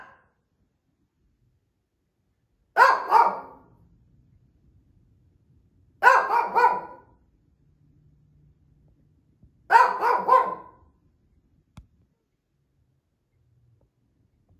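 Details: Lacey, an older Shih Tzu, barking indoors while demanding treats: three bursts of two or three sharp, loud yaps each, spaced about three to four seconds apart, with silence between them.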